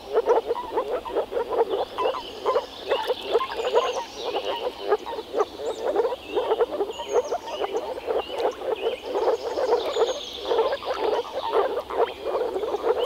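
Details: European frogs in a Czech pond in spring form a steady croaking chorus of rapid low rattles, while birds chirp faintly in the background.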